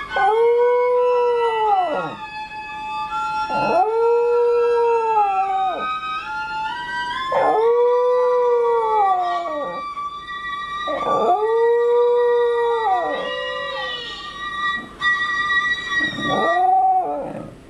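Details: A male corgi, watching a video of himself, howls along to violin music in long, arching, sliding wails.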